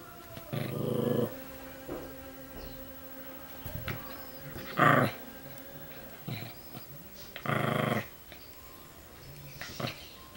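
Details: Chilean Fox Terrier growling while chasing a laser light, low rough bursts near one, five and eight seconds separated by quieter breathing and faint household noise.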